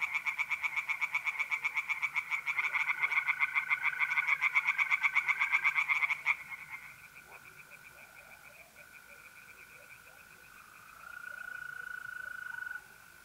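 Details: Night chorus of tree frogs in a pond in north-eastern Italy in mid-April: six seconds of loud, dense, fast pulsing that breaks off abruptly, leaving faint distant pulses and the steady mole cricket trill.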